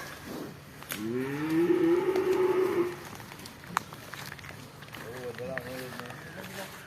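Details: Young bovine calves raised on a farm: a strong, level moo lasting about two seconds, followed by a shorter, softer wavering moo, with voices and handling noises around.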